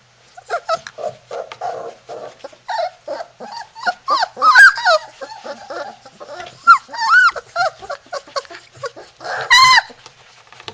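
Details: Three-week-old Labrador Retriever puppies in Florida, trying to break out of their little puppy house: a litter's squeaky whimpers and rising-falling whines, short yips in irregular bursts, with one loud, sharply bent whine near the end.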